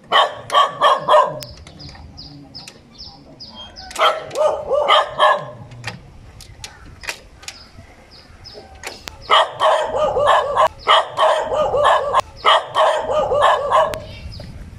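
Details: Dog barking in three bouts of rapid, harmonic barks, each bout holding several quick yaps close together with short quiet pauses between the bouts.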